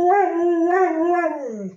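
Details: Pet dog howling back at its owner's questions, a steady tonal wail with rich harmonics that wavers slightly, then slides down at the end, lasting under two seconds.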